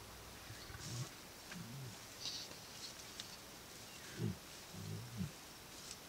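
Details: Male lion guarding a buffalo kill from lionesses, giving warning growls while feeding; short, low, throaty growls come in separate bursts roughly every second or so, over faint outdoor background.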